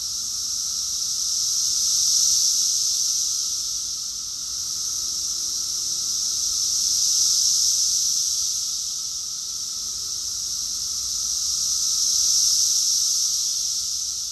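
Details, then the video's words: Summer cicada chorus from Rockville, Maryland, USA, June 2021: a loud high-pitched whirring wall of sound pulsing in three slow swells, with a thin low tone and faint rumble underneath. "Cicadas song || Cicada's chorus song"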